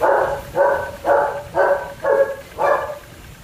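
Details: German Shepherd puppies at Zondiram Kennel giving six sharp, evenly spaced barks, about two per second, each a short bright burst with a steady rhythm.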